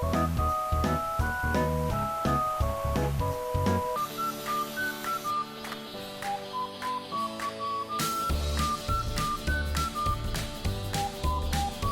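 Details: Only music plays, a melodic instrumental tune with steady beats and no animal sounds.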